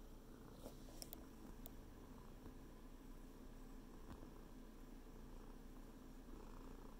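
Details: A cat kneading a blanket purrs continuously, a deep even rumble with a fast pulsing texture throughout, and occasional soft ticks from paws on fabric.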